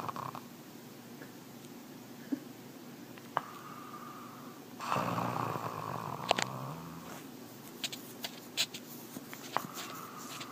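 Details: Gus, a pet guard dog, snoring in his sleep indoors: soft nasal buzzing tones return with breaths every few seconds, a louder rough rushing stretch in the middle, and scattered small clicks and knocks around him.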